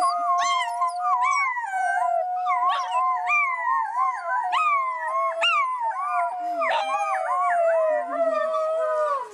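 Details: Pack of wolves howling together in a dense chorus: several overlapping voices rise and fall in wavering glides, with sharp yips and short breaks scattered throughout, continuous and loud from start to finish.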